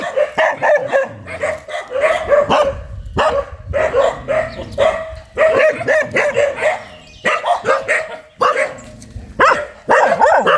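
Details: A fierce dog barks in clustered bursts of quick, harsh barks separated by short pauses, with some low rumbling noise underneath.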